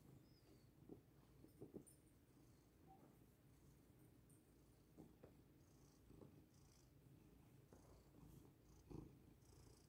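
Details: Lily, a pet cat, purrs while settling on her owner as a human mattress to get comfortable; a low, continuous rumbling purr runs throughout, broken by scattered soft taps and clicks.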